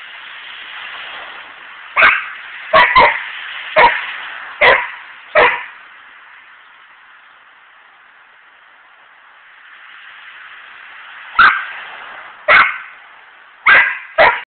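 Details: Domestic dog barking at a squirrel. Loud, sharp barks come in an irregular run of about six, then a pause of several seconds, then four more, over a constant low hiss.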